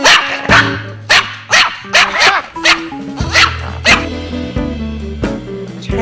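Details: Pet dog barking very loudly indoors, its bark measured at 100 decibels, louder than highway traffic; about eight sharp, explosive barks in six seconds at uneven intervals, with steady background music underneath.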